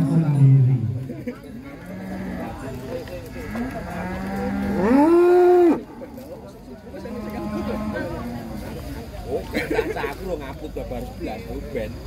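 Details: Giant cattle being unloaded from a truck in Indonesia. One loud, drawn-out, low moo rises and falls for under a second midway, over continuous background music and some voices.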